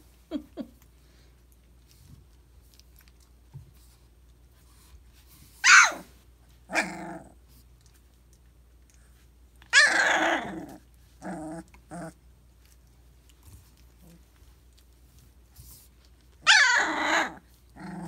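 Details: Young Briard puppies at three weeks of age, giving loud harsh growling bursts with a buzzy, rasping texture, several sharp short outbursts and longer rolling ones separated by quiet gaps, in a quiet room.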